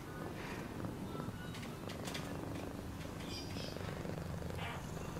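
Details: Low throbbing purr from a cat, even and unbroken over five seconds, with faint crackles and scattered soft clicks above it.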